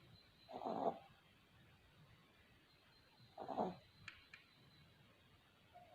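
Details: Sleeping puppies snoring: two soft, breathy snores about three seconds apart over quiet background hiss, with a faint high click near the end.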